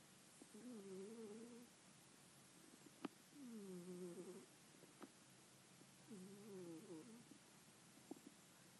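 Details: Sleeping, dreaming house cat makes soft snoring sounds: three gentle wavering, warbling murmurs at roughly three-second intervals, with a few sharp faint clicks between them and constant low hiss.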